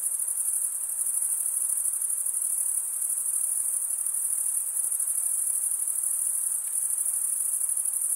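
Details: Continuous cricket stridulation from chirping males, a sustained piercing high trill with a fine rapid pulse texture, steady across the whole stretch, one brief faint click near the end.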